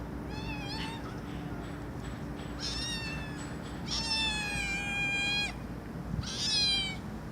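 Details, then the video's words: Cat meowing loudly: a short meow, then drawn-out high wavering meows with bright harmonics, the longest lasting about a second and a half, over a steady low hum. "Cats Meowing Loudly"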